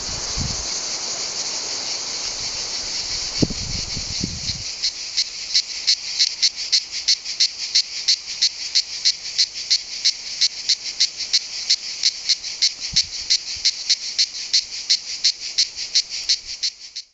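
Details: Cicada orni song: a rapid, regular train of high, rasping pulses, about three per second, after a few seconds of continuous buzz, ending abruptly.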